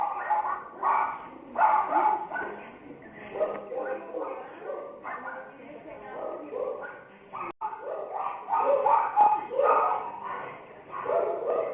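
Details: Angry, agitated Miniature Pinscher puppy yapping rapidly, sharp high-pitched yips tumbling in dense runs with brief pauses, and a human voice mixed in throughout.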